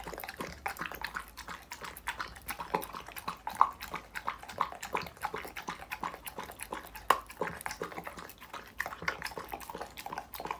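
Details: Dog chewing raw foods such as meat, chicken and vegetables, heard close to the mouth: continuous moist smacking and clicking chews, uneven in rhythm, with a few louder crunches standing out.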